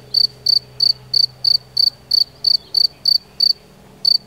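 A field cricket gives short, shrill chirps about three times a second in a steady run.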